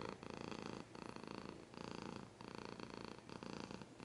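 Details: Domestic cat purring up close with some scratching, a steady rumbling buzz pulsing in breaths, each inhale-exhale cycle lasting under a second, with brief gaps between phases; quiet indoor setting.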